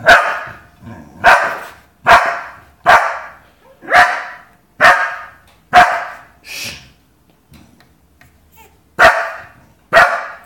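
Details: Five-month-old Rottweiler puppy and a German Pinscher playing, loud sharp barks repeated roughly once a second in an uneven series, with a short pause before the last two barks.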